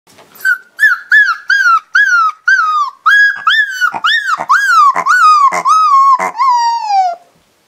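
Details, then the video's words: A 5-week-old Siberian Husky puppy gives a run of high, quavering yips that stretch into thin, falling howls. "Siberian Husky Puppy Howls and makes Cute Sounds"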